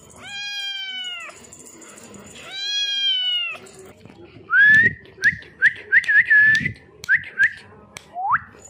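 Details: Cute cat giving two long, clear, evenly pitched meows, followed by a quick series of short, high, whistle-like chirps and a final rising squeak.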